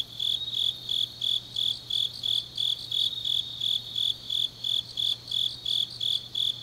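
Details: Late-night autumn insect song from the grass of Changnyeong, Korea: rhythmic high-pitched chirps, close to three a second, with a softer overlapping chorus of further insects and a faint steady low hum.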